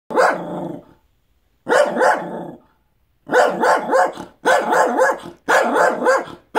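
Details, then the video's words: Benji, a pet dog, barking at dogs outside: loud, rough barks in short bursts, first two separated by pauses, then a rapid run of four quick barks close together. "Benji barking at dogs outside"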